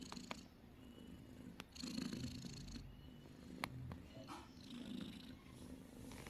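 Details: Snoring cat: a low, steady rumbling drone with gentle rhythmic swells in loudness, a few faint clicks and rustles above it, quiet overall.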